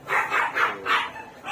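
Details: Two-day-old Chihuahua puppies, healthy newborns, giving three bright squeaky cries in quick succession, each a short wavering whine about a third of a second long, in a quiet indoor room.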